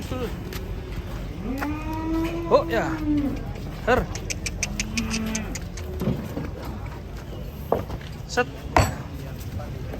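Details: Heavy cattle being loaded onto a truck give a drawn-out moo and, a few seconds later, a shorter, lower moo. Metallic clanks, scattered knocks and brief human voices are heard between the calls.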